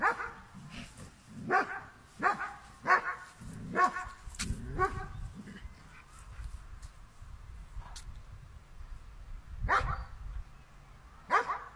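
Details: German Shepherd dog barking while facing a cow: about five sharp, harmonic barks in quick succession over the first five seconds, then a pause, then two more single barks near the end over a low background rumble.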